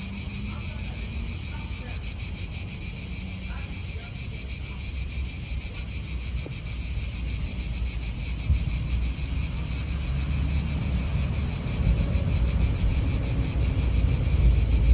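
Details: An Italian park, real outdoor atmosphere: a cicada chorus keeps up an unbroken high, pulsing drone, while a low wind rumble grows louder over the final seconds.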